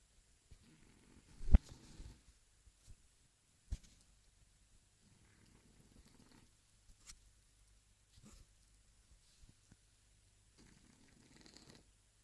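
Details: A sleeping Shar Pei snoring softly indoors, with low rumbling breaths recurring every second or two, one louder snort near the start, otherwise quiet.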